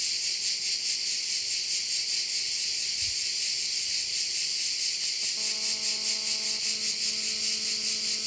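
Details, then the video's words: High, dense pulsing buzz of crickets beside a bay in Korčula, Croatia, continuous and even; after about five seconds a low droning hum with stacked overtones joins in, and a soft thump occurs early on. "view of one of the bays in Korcula with sounds of crickets"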